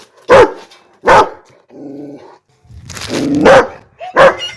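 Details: Rottweiler barking: four short, loud, sharp barks in two pairs, about a second apart within each pair, with a lower, rougher drawn-out sound between the pairs.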